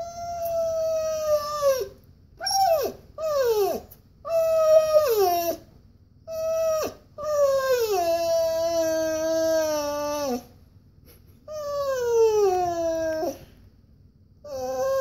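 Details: Siberian husky indoors whining because he wants to go for a walk: a series of drawn-out, falling, harmonic whines and yowls in separate bursts, some sliding sharply downward, with brief silent gaps between them.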